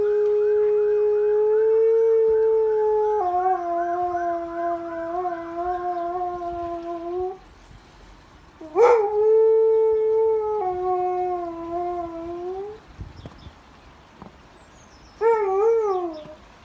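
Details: Responding to emergency services, a Husky gives long drawn-out howls that dip and waver, a short break, then more sustained howls ending in a quavering, falling note.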